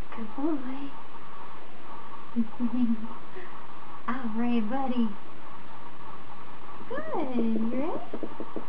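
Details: Whimpers from Bond, a Standard Poodle puppy 28 days old, training as a future service dog: soft, wavering cries spaced a second or two apart, ending in one louder, bending whine, against a constant room hum.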